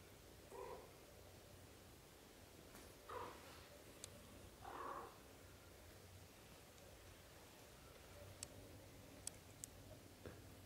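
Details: Newborn-to-month-old British shorthair kittens, a litter of four born to Samel and Leo, give three faint, short, high mews spaced a couple of seconds apart, with soft clicks and quiet room noise between.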